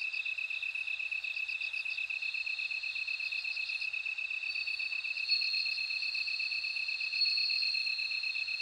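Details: Bell cricket singing over a constant, high, rapidly pulsing insect drone. Short bursts of even higher, bell-like trilled pulses come in groups, then give way to a sustained ringing note in the second half.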